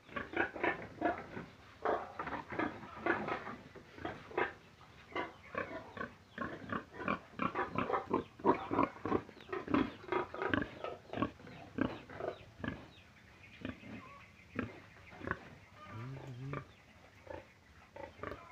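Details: Rapid, steady stream of pig grunts and short squeals, dense and overlapping for most of the stretch, fading into softer sporadic calls toward the end.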